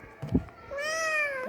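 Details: Domestic cat giving one long, steady tonal meow that ends with a slight upward bend, preceded by a brief knock and a woman's voice speaking Tamil indoors.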